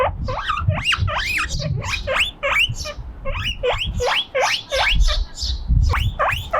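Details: Left by itself on a breezy veranda, a lonely guinea pig calls loudly enough to beat the wind, giving repeated upward-sweeping squealing whistles in quick bursts, with brief pauses and a steady low roar of wind underneath.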